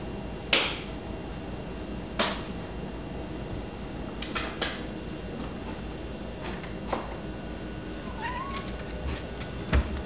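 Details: Domestic cat meowing at a lubber grasshopper; one brief, faint, rising meow near the end, heard over a steady low hum with scattered sharp taps and clicks throughout.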